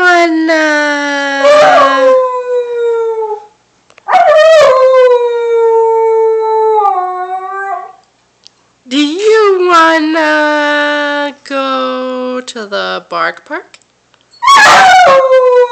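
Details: Lily, a young puppy, howls in long drawn-out notes that fall gently in pitch, mixed with a person's stretched-out voice, a few sharp yips and short breaks between phrases.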